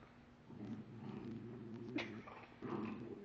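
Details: Pet dog whose bone was taken by another dog, vocalizing to get it back: two low, steady, rumbling harmonic growl-moans, the first about one and a half seconds long, the second starting after a short gap, indoors.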